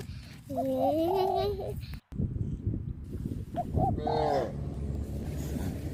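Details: A herd of tame cows heads toward grazing fields on a traditional village farm; one long, low, steady moo opens, then a brief break, and a shorter second moo follows, over rough outdoor noise.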